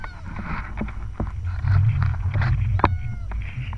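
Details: Harp seals, adults gliding beneath sea ice while pups rest above: short, tonal, downward-sliding calls with stacked harmonics, a quick cluster at the start and another near the end, over a steady low rumble and scattered clicks.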